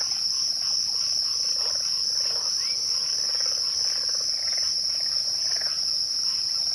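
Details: Twilight chorus of crickets: one unbroken high-pitched ringing trill holds throughout, over faint pulsed chirps lower down.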